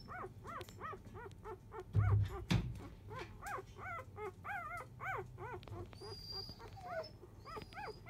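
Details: Field-line Labrador Retriever litter at four days old, mother Biscuit the 2017 JFA Grand Champion; sleepy pups give steady rising-falling squeaks and whines, with a brief knock near the start and faint high chirps later.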